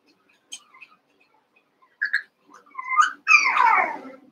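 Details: Eight Cavalier King Charles Spaniel puppies from two litters, Daisy's and Robin's, at play indoors: thin whistled whines rise and bend upward, followed by a louder, harsh yelping burst sliding down in pitch.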